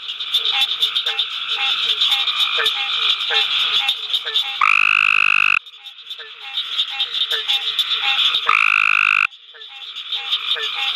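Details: Adult male Cope's gray tree frog calling at night at the University of Mississippi Field Station. Two loud, harsh buzzing trills, each about a second long, stand out over a dense background chorus of short, repeated chirping frog calls.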